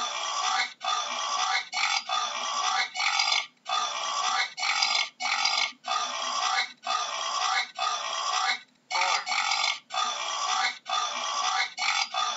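Wild boar giving harsh, noisy grunts and snorts in rapid, nearly continuous bursts about once a second.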